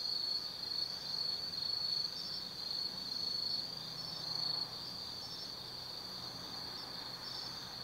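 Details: Autumn forest insects at night near Kaizu, Gifu, Japan: loud pulsed trilling over a steady high ringing for about four seconds, then quieter continuous chirring with scattered chirps.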